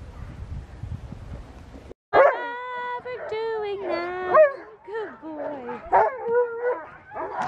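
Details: Alaskan Malamute Sojou, a female sled dog, on a March spring run with a mushing club in Larose Forest, Ontario, Canada, late in the sledding season; after a low rumbling lead-in come eager, wavering harmonic yelps and whines in uneven bursts.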